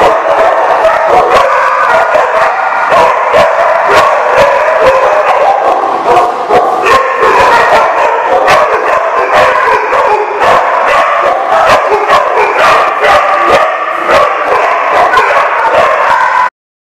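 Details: Dogs at The Barking Lot on 13 July 2015: dense, loud, overlapping barking and howling from several dogs, continuous throughout with no pauses, ending abruptly.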